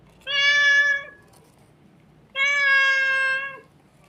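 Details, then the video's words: A crying kitten gives two long, steady, tonal meows, each lasting about a second, with a pause of roughly a second and a half between them. "Very beautiful crying sound of a kitten"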